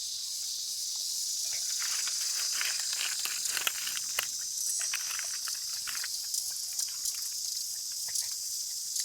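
A cicada gives a steady, hissing high-pitched drone that holds without a break.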